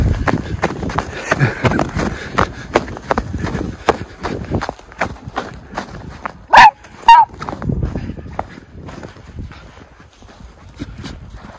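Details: Miniature Schnauzer brothers Lucky and Levi romping in deep late-winter snowpack in their yard in Aroostook County, Maine, on February 11, 2023. Two sharp barks about half a second apart stand out over steady crunching and bounding through snow.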